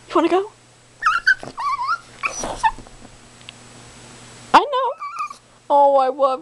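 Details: Precious, a demanding female Chihuahua, mixes short yelps with drawn-out wavering howls that climb and dip in pitch, her owner speaking softly between the calls.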